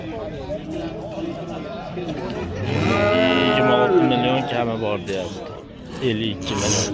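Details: Bulls at the Oqtepa livestock market in Oltinko'l, Andijon, Uzbekistan: a low, drawn-out moo lasting about two seconds rises from the middle of the recording, with steady stacked harmonics, while people talk and bargain and music plays.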